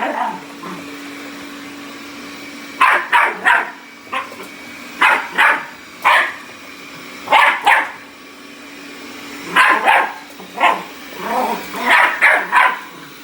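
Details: A Bull Terrier puppy attacking a robot vacuum gives sharp, high yapping barks in quick bursts over the vacuum's steady hum.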